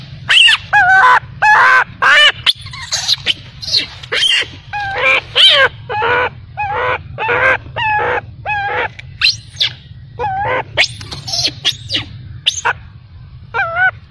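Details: Baby macaque abandoned by its mother, crying heartbreakingly: a rapid run of high, wavering tonal cries. Each is short and arched, some rising and falling. They come in quick, uneven bursts over a low steady hum.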